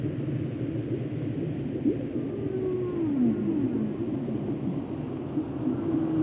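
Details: Whale calls for relaxation and sleep: several drawn-out tonal moans slide downward through the low-mid range around the middle, with softer tones near the end, over a constant deep rumbling wash.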